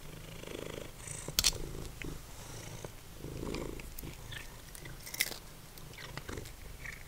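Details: Formerly feral cat Simba purrs over a snack of dried minnows, the low even rumble steady across the clip, punctuated by sharp crunches and small clicks of chewing.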